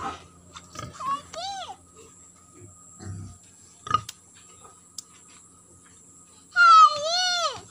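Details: White pigs at a pig farm in Keonjhar, Odisha, one letting out a loud arched, rising-then-falling squeal near the end after scattered short noises, soft thumps and a brief human voice.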